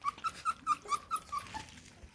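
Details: Eight Bluetick Coonhound puppies at feeding time indoors; a run of seven short, high whines repeated about every quarter second, then fading, with faint room noise.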